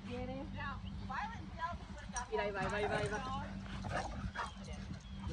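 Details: Dog named Penny on her first trip to the dog park, giving a run of high, wavering whimpers and yips that rise and fall, with people talking nearby.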